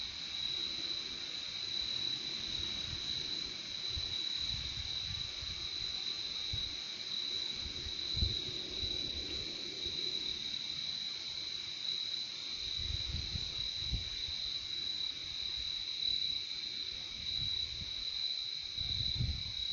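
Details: A continuous high trilling of many crickets fills the whole stretch, steady and unbroken, while soft low rumbles swell and fade now and then underneath, strongest in the second half.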